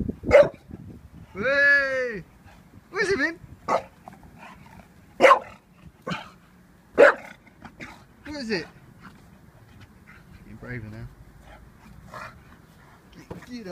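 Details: Vinnie the Staffordshire Bull Terrier, 18 months old, hesitant around a balloon: several short, punchy barks spaced a couple of seconds apart, mixed with a person's coaxing speech and an arching vocal sound early on.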